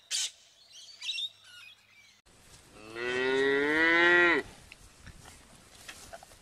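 A cow gives one long, rising moo lasting about a second and a half, after a few brief high chirps from small birds.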